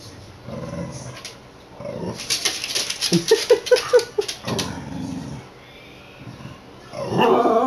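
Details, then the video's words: Pet corgi Milford "sings" to the household cat in a hallway, recorded on a PS Vita: a series of short yelping notes amid rustling and low grumbles, then a longer vocal sound at the end. "Milford sings to his cat"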